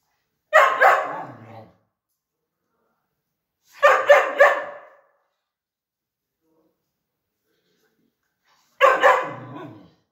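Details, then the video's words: Pointer dog in training at home barks in three short bursts of two or three rapid, harsh barks each, spaced several seconds apart, against an otherwise silent indoor background. "pointer dog traing at home"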